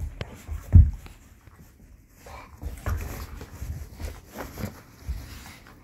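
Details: Belgian Malinois and Pitbull play fighting indoors: a sudden loud low growling burst early on, then softer rumbling growls, snorts and huffs in short bursts among scuffling and movement noise.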